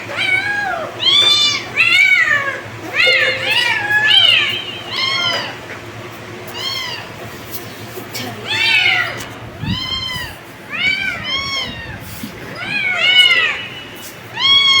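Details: Several kittens meowing, with a dense series of high, arched meows, often overlapping, rising then falling in pitch, coming in bursts of two to four calls with short quiet gaps between them across the whole stretch.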